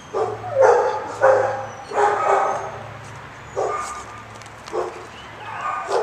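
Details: Dog barking repeatedly, six rough, full barks at uneven intervals of roughly one second, with a low steady hum underneath.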